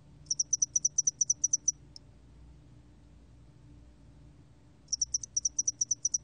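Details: Song of the spotted-wing hairy cricket, 2020 National Institute of Biological Resources recording: a burst of quick, high, evenly spaced pulses, one stray pulse, a silence of nearly three seconds, then the rapid chirping resumes.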